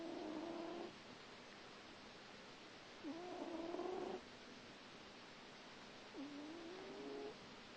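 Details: Asleep, a little grey cat lets out three drawn-out snores about three seconds apart. Each is a steady, slightly buzzy hum, and the last one rises a little at its end. The pauses between them are quiet.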